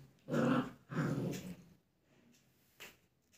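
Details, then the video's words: German Shepherd puppy in a study room in India, reacting to a mirror with two low, rough growling grunts close together, followed by a fainter short sound. "dog barking | German shephard | puppy reaction to mirror"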